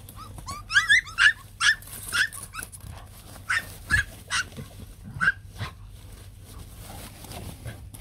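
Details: White fluffy Bac Ha dog puppies, a Vietnamese native breed, with their mother: a series of short, high squeaky whimpers and yips, a few every second at first then thinning out, over a steady low hum.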